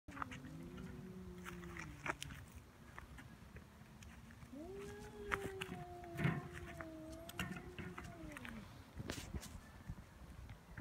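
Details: Feral cats fighting on Cat Day, February 22, in Japan, threatening without either backing down: low, drawn-out wavering yowls rising and falling, one long growl-like moan after another, with faint background rustling and thumps.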